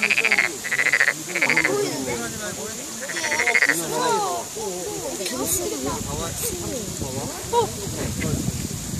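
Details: Frog croaking in short harmonic bursts about every half second for the first four seconds, with a quiet pause midway, then a person talking over faint background calls.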